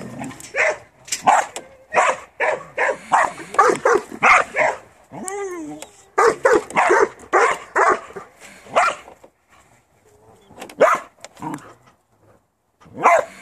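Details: Farm working Border Collie barking in quick runs of sharp, repeated barks, broken midway by a short rising and falling whine, then more scattered barks with pauses near the end.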